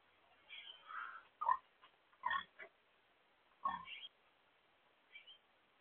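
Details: Blue Hampshire pigs, a blue-gray domestic breed, give short broken grunts and squeals in irregular bursts with quiet gaps between them; a voice is heard right afterward.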